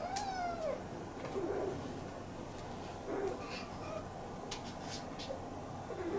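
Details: A Munchkin kitten, kept in a cage indoors while ironing is done, opens with a falling, plaintive meow, then only faint, brief squeaks over low room hiss and occasional light knocks.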